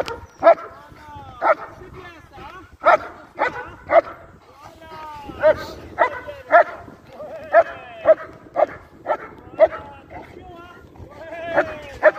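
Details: During IGP competition training, a German Shepherd barks in loud, ringing bursts roughly once a second, irregularly spaced, with strained whining overtones between some barks and low background murmur.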